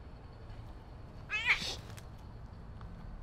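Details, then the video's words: Tabby mother stray cat at her family's meal time, slapping her kittens, in Turkey, giving one short, bright meow that rises and falls over a low background hum. "Tabby Mom Cat Started to Slap Kittens- Cat Family's Meal Time"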